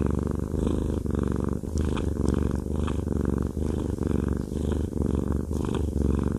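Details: Fluffy male cat enjoying a massage, purring strongly at close range; continuous low rumble with evenly pulsing breaths, a few faint higher rustles or clicks in the background.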